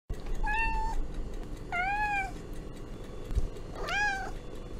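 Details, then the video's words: Domestic cat giving three clear meows, each a harmonic-rich tone under a second long, the last rising then falling, spaced about 1.5 seconds apart over a steady low background hum. "Realistic and relaxing cat sounds"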